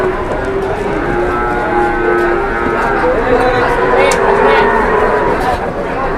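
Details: A very large, fat cow gives drawn-out, low, steady moos with layered harmonic tones, heard over constant background noise and some human speech.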